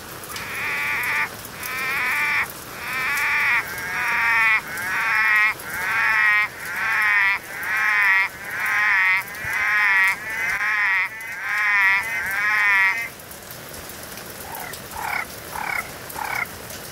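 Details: Orange-eyed tree frog (Litoria chloris) calling on a rowdy night: a series of loud, drawn-out moaning calls of about one second each, repeated roughly once a second for thirteen seconds, then quieter shorter calls from another frog.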